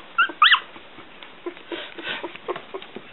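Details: One-week-old Smooth Coat Collie, Coon Hound and Pomeranian mix puppies squealing: two sharp rising-falling yelps near the start, then soft scattered whimpers and snuffles.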